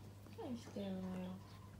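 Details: Rescued house cat indoors giving a long meow: a short falling note, then a sustained flat tone held for about half a second over a quiet room hum.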